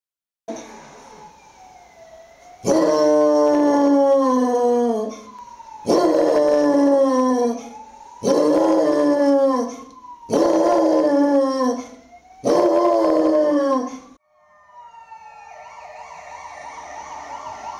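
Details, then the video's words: Basset Hound howling along with ambulance and police sirens near a hospital, five long, loud, drawn-out howls that fall in pitch, each lasting about two seconds, with a wailing siren audible between and after them. "BASSET HOUND wyje z karetką i policją"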